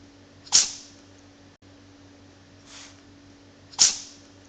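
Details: Two sharp sneezes from Bok the cat, a little over three seconds apart, with a soft breathy puff between them and a low hum in the background.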